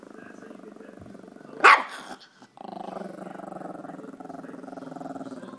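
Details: Small Chorkie dog growling at the camera, a sustained low rumbling growl with a brief loud burst near the second-and-a-half mark, then steady growling resumes to the end.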